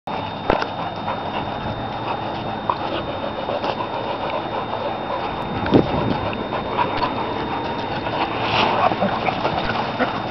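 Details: Long-coated German Shepherd from a kennel pack, breathing in steady, rough, breathy pants through ten seconds. A faint constant high tone and a few soft clicks sit in the background.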